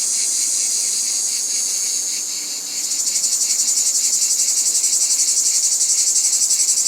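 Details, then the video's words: Cicada buzzing in nature, a steady shrill drone that, near the midpoint, turns into a throbbing pulsed rhythm of about four beats per second. "Cicada sounds in Nature"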